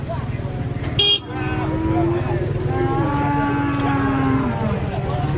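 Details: Giant cattle, described as fierce, being unloaded from a truck. One drawn-out low moo lasts about three seconds with a slight downward slide. Engine rumble, a short horn-like blast and people talking are heard.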